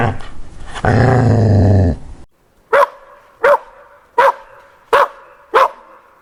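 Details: Puppies playing with toys on green grass outdoors: a low, rough growl lasting about a second, then a pause and five sharp barks spaced roughly every 0.7 seconds.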